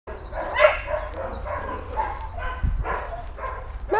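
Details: Barking dog used as a distraction during obedience training: four or five short, harmonic barks scattered over four seconds, with a man's voice giving commands and a steady low hum underneath.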